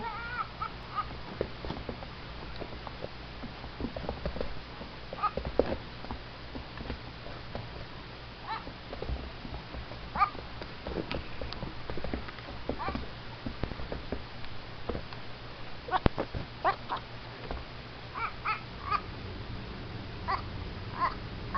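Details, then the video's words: Baby goat making funny, duck-like noises indoors: scattered short nasal harmonic calls, clustered near the end, with knocks and bumps between them. "Crazy baby goat making funny noises"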